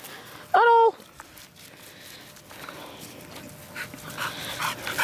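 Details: Labrador Retriever, one of three Labradors playing in a freshly formed lake after a full day of rain, gives one loud, short, tonal yelping bark lasting under half a second, followed by splashing water and quiet outdoor noise.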